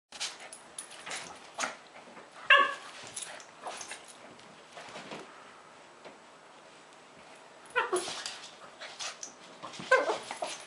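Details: Two Lhasa Apsos, Zac and Zoe, play fighting: scattered short growls and yips with soft scuffling, a louder yelp near the middle and a burst of harsher vocal sounds toward the end.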